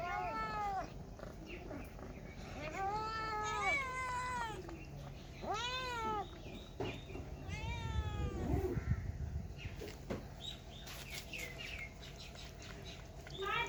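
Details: Cats and kittens mewing in bursts of bright, arching meows during the first half, then a low rumbling scuffle and scattered high squeaks and clatter toward the end.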